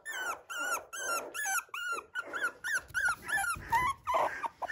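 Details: Poodle at a dog breeder's home in Okayama, Japan: high, tonal whining yelps repeated in quick bursts, each a short bent whine rich in overtones, about nine calls in a steady series, indoors with little else heard.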